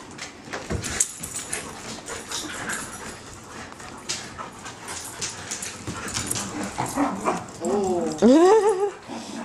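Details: Three playing dogs, the Rottweilers Deeogee and Sadie (a Rottweiler mix) and Lucky, a Schnauzer mix, recorded 21 June 2008: after seconds of scuffling clatter comes a short burst of high, wavering, harmonic whines and yips that rise and fall steeply.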